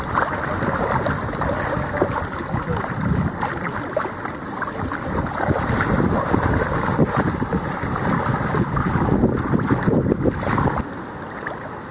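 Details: Strong wind buffets the microphone in a continuous rumbling roar that swells and eases, with no animal calls audible.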